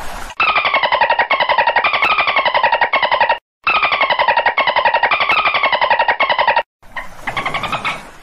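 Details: Long runs of dense, buzzy pulsed squawks from a dolphin with falling harmonic bands, broken by two abrupt silent gaps, with a noisier burst of calling at the close.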